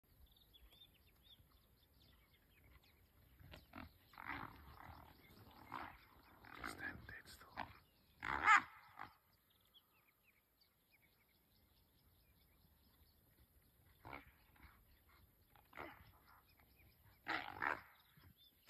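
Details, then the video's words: Brown hyenas fighting, encountered on a bush walk: harsh, loud squealing and growling bursts clustered between four and nine seconds, a quiet gap, then further rasping outbursts near fifteen and eighteen seconds. "Brown hyena fight"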